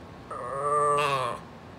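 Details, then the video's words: Very vocal female Brussels Griffon dog at home, asking her owner to scoot over: a single drawn-out, whiny, harmonic cry lasting about one second that brightens and rises toward its end, with a quiet background. "My Very Vocal Brussels Griffon Telling Me “Mom Scoot Over!”"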